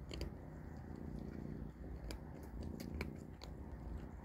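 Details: At dinner, kittens Panda, Grayie and Goldie eat cat food. A continuous low purr-like rumble is broken by sharp, irregular crunching clicks of kibble being chewed.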